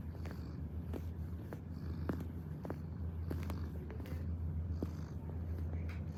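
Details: Purring domestic cat kneading: a constant deep vibrating hum holds steady for the whole stretch, broken only by light clicking and shuffling noises.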